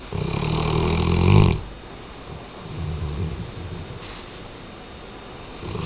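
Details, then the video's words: Weimaraner dog snoring: a loud, rough, low rumbling snore swells for about a second and a half, then a softer, shorter snore follows after a quiet pause. "Weimaraner-Tchesco Roncando"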